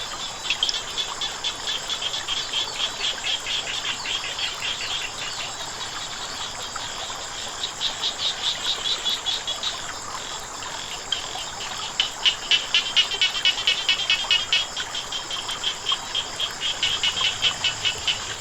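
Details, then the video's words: Frogs calling beside flowing water: rapid trains of short, dry, high-pitched pulsed notes, bursts swelling and fading, several callers overlapping over a steady hiss of running water. "เสียงน้ำไหล กบเขียดร้อง"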